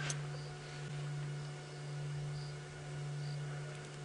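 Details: A steady low electrical hum pulses gently, with faint high hiss and no animal voices. No animal call can be picked out anywhere in the clip.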